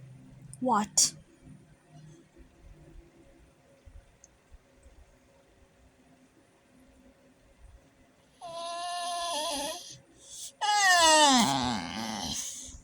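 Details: Vinny, a pet dog, making odd noises indoors: a brief rising squeak, then two drawn-out whiny calls, each sliding downward with rich harmonics.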